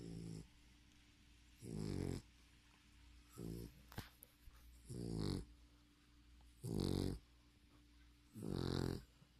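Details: English Bulldog asleep and snoring: loud, growly, rattling inhalations in slow rhythm, six snores about every one and a half seconds, with a faint background hum between them and one brief click.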